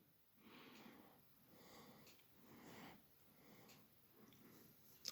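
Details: Small male puppy, grumpy and sleepy indoors after his first bath, upset by the hair dryer. He gives five soft, breathy grumbling bursts, about one each second, and a sharp click ends the clip.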